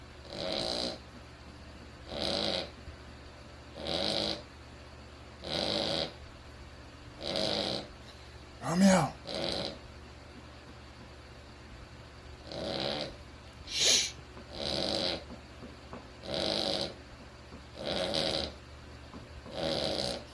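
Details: A sleeping Cavalier King Charles Spaniel snores in steady, raspy breaths repeated every couple of seconds.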